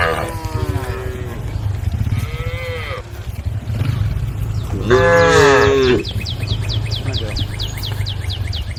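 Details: Cows wandering on a road at the forest edge, calling the herd: a few softer lowing calls early on, then one loud drawn-out moo lasting about a second, over a steady low hum, with rapid bird chirps at the end.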